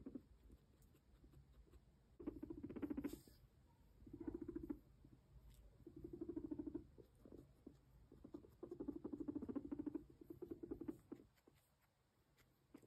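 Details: Max, a pet guinea pig, walks and purrs indoors; low rapid rumbling bursts of one to two seconds come at irregular intervals, separated by quieter stretches with faint pattering.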